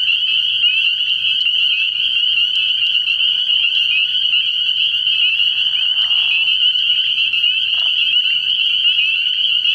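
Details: Early-year frog pond at night with a massed spring peeper chorus, high piercing peeps blending into an unbroken shrill ring, interrupted by short lower grating calls near six and eight seconds.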